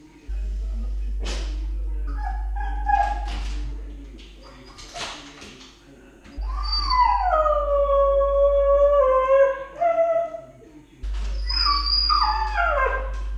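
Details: Ten-month-old Siberian Husky puppy left home alone, filmed on camera, howling for her absent owners; a long falling howl with rich harmonics, then another descending howl, after earlier short whimpers, over a steady low hum.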